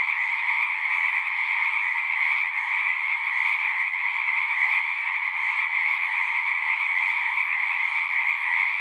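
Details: Chorusing frogs at a pasture pond where horses are kept, recorded with a Zoom 6: a loud, continuous high trilling blanket of many voices, steady from start to finish.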